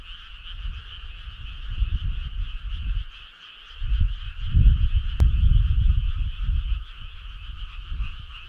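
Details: Frog chorus on a summer night: a dense, steady pulsing trill in two bright layers runs through the whole stretch, under uneven bursts of deep low rumble that swell around the middle.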